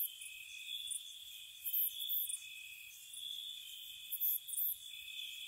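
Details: Crickets at night in spring, heard as steady high ringing trills layered together, with brighter pulsing chirps swelling in short bursts every second or two over a soft ambient background.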